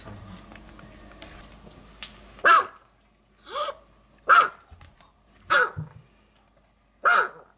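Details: Maltese barking indoors in a small room: five sharp, high yapping barks, one of them softer, coming roughly every second and a half after a quiet start.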